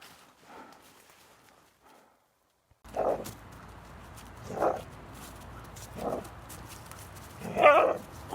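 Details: Playful young black female hound romping with an adult male black retriever, biting his ears; after a brief silence come four harsh growl-barks about every one and a half seconds, the last one louder and more strained, with a woman praising in Georgian.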